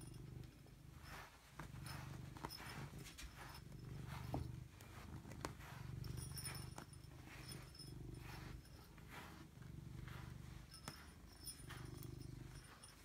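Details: A cat called Robbie Coltrane purring in long rumbling stretches that swell and fade roughly every one to two seconds, following its breathing, with light background rustles.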